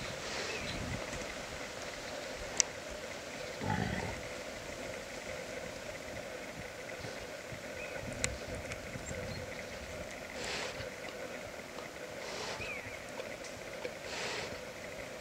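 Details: Wild boar sow guarding her newborn piglets hidden in bushes during a photo tour, giving short low grunting bursts near four seconds and again around ten to fourteen seconds over steady humming background noise.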